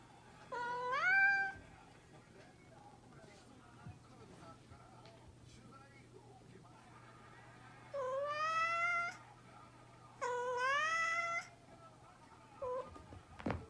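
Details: Pet cat giving three long, plaintive meows that rise and bend downward, separated by several seconds of quiet room noise with a faint hum, ending with a short squeak and a click.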